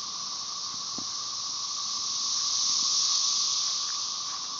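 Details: Periodical cicadas, Magicicada tredecassini with M. tredecim behind, Brood XIX, in Tyler Bend Park near Marshall, Arkansas, on May 30, 2011: a continuous, dense, high hissing drone that swells slightly midway over a steady lower humming tone.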